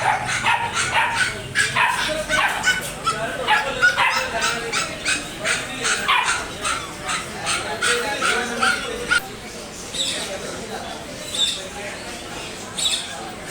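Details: Dog barking loudly in rapid, irregular volleys of sharp barks, roughly three per second, with some yips mixed in and the bursts thinning toward the end.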